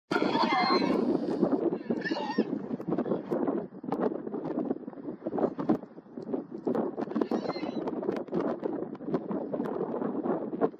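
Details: Wild Garrano horses, dominant stallions measuring their strength against each other in the Serra do Suído, Galicia, in July 2024; short harsh, harmonic squeals in the first seconds and again near the end, over constant heavy wind rumble and scuffling.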